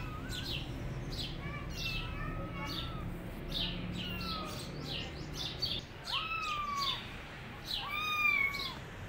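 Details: Rescued tabby kittens, wandering independently without their mother, let out thin mewing calls that bend down and then up, louder near the end. Rapid high ticking chirps keep a regular beat behind them over a low rumble.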